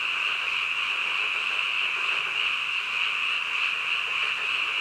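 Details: At night, a mass of frogs calls together, a constant shrill trilling buzz with rapid pulses running into one another and no break in the chorus.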